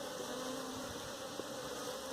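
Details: Honey bees at a hive being caught for domestication, giving a steady, low, droning hum with a faint higher overtone that holds evenly throughout and carries no speech or other clear sounds.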